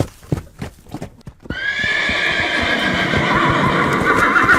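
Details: Horse galloping, hoofbeats first as sharp rapid thuds, then a loud sustained whinny with dense tremulous harmonics over continuing galloping hooves.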